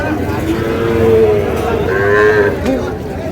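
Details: Sahiwal bull calves at a crowded cattle market where a farmer from Comilla buys stock, 3 June: a drawn-out, slightly wavering moo swells over about two seconds, with a second voice overlapping, amid steady crowd chatter.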